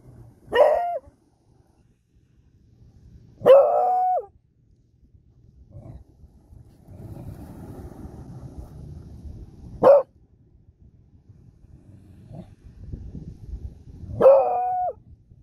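A Beagle gives four loud, short, ringing howls, spaced a few seconds apart.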